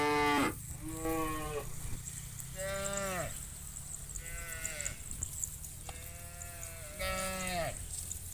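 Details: Morning drive of thousands of cows to rice fields; a loud opening bellow, then repeated moos from several animals, each a rich harmonic call bending downward at the end, with continuous low rumble and hiss behind.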